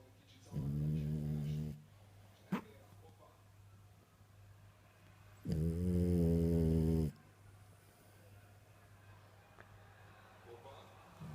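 A French Bulldog snores in long, low, rumbling breaths with a short sniff between them.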